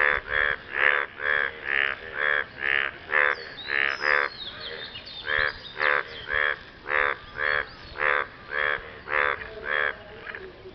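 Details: Post-rain frog chorus aimed at a partner: about twenty rasping, pulsed croaks in under eleven seconds, evenly paced around two per second, with a brief gap near the middle and fainter calls in the background.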